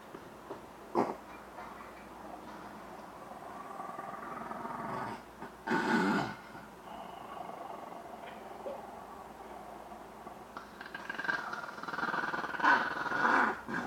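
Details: Shih Tzu dog playing with a person: rough, noisy growls in short bursts, a sharp snarl near the first second, a louder outburst around six seconds, then a longer stretch of growling toward the end.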